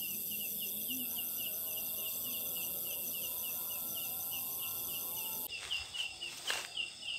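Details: Katydid known in Sunda as ciang ciang, a large leaf-like insect of jackfruit trees, calling at night. A steady run of sharp high chirps repeats about three to four per second, then rustling and knocks break in near the end.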